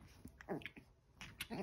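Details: Chihuahua puppies, eleven weeks old, fighting over a towel: two quick high squeaky yips with a soft growl between them, set against light indoor scuffling.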